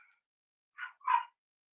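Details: Cavalier King Charles Spaniel puppies, 25 days old, indoors on a sunny Monday morning during puppy mash feeding and potty training. Two short, high yips sound a quarter second apart, followed by silence.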